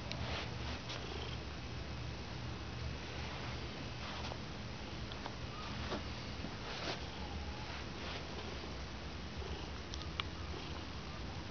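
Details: A one-year-old black male pet cat purrs indoors: a steady, low rumbling purr that runs through the whole stretch, with a few faint soft clicks and rustles above it.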